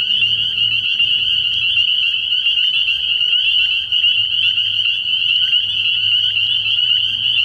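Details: Early-year frog pond at night, filled with spring peepers: an intense, continuous high trilling chorus of overlapping peeps that never pauses, over a faint low murmur.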